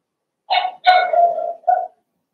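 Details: Indoor puppy pen holding Remy's first litter of six Blenheim Cavalier King Charles Spaniel puppies; three clear, loud, tonal whines in quick succession, the middle one drawn out and slightly falling, the last short and higher.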